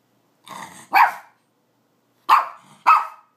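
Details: A pet Pomeranian barking for more carrot: a soft whine-like yap followed by three sharp high barks spaced about a second apart, with silence between.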